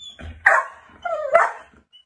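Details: Golden Retriever playing with its owner over the sofa gives two sharp barks about a second apart, the second with a longer whining tail, amid light household noise.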